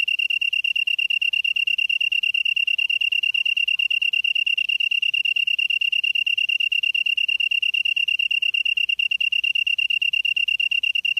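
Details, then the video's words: Evening grass insect song from Namyangju-si, Gyeonggi-do, Korea, recorded September 2016 around 7:59 PM; an unbroken, shrill, ringing trill of rapid identical pulses holds steady throughout, with a quiet background. "풀벌레 소리/sound of a bug / живущие в траве /虫の音"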